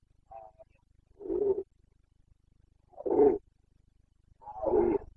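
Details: Red deer stag of the Carpathians in the rut, Bucovina, 29.09.2022: a faint opening groan, then three deep, raspy roars spaced about one and a half seconds apart over a low steady hum.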